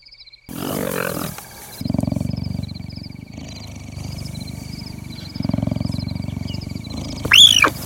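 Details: Captive African wildcat kittens, about 4 months old, purr in low, rapid, motor-like bursts against steady insect and bird chirps.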